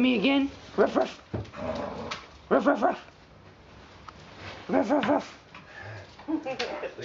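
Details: Four-week-old puppies playing indoors with their mother Valentine and brother Hoyt on an afternoon in March 2013; high, arching whimpers and yips come in short bursts about every two seconds, with human speech underneath.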